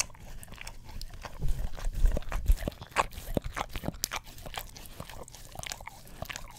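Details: Indoor close-up of an English Cream Golden Retriever licking an Orapup tongue cleaning brush near a stereo microphone: rapid wet slurps and crunchy taps, about two per second, loudest in the first half.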